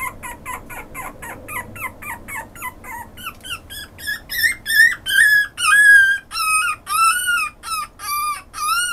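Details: Pomeranian-Chihuahua mix dog whining in rapid, squeaky notes that grow longer and louder, becoming strained, wavering high cries repeated roughly twice a second in a quiet room.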